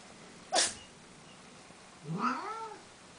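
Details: Sphynx cat from a cattery litter of hairless kittens and cats gives a single short meow that rises and then falls, with bright stacked harmonics. A sharp broadband snap comes just before it, and the background is otherwise quiet.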